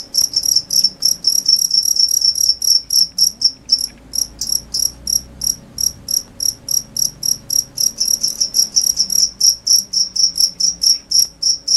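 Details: Cricket giving rapid, shrill chirps repeated roughly every quarter second, loud and continuous throughout with an even rhythm over a faint low background hum.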